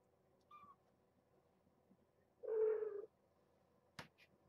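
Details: Young domestic kittens of the MythBusters litter, born May 8th and fostered through Purrfect Pals in Arlington, during a nightly weigh-in indoors: a faint short squeak, then one loud drawn-out meow lasting about half a second, followed by a sharp click.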